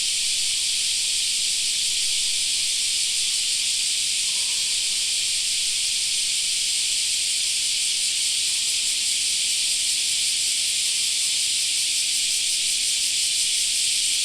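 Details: In a summer park, cicadas keep up a dense, even high buzz; a faint short tone surfaces briefly early on, and a soft low hum appears later.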